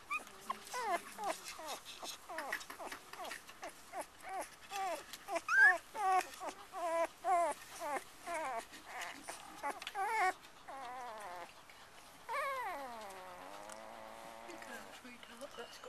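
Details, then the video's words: Litter of black and black-and-white Cocker Spaniel puppies playing with each other and their mother; rapid series of high, wavering squeaks and whimpers, roughly two per second, ending in a longer drawn-out whine, with a person's voice in the background. "Watch a litter of adorable cocker spaniel puppies playing with each other and their mum"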